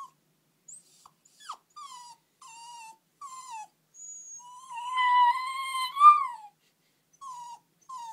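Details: A puppy left sad after its owners went to the shops gives a run of high, nasal whimpers sliding downward about a second apart, with a longer wavering whine midway that swells and rises before fading.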